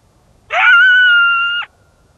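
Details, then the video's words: A coyote in winter at Yellowstone National Park gives a single clear howl, briefly rising and then held steady before breaking off sharply, amid howling and yipping. "Coyote Howling and Yipping in the Winter at Yellowstone NP"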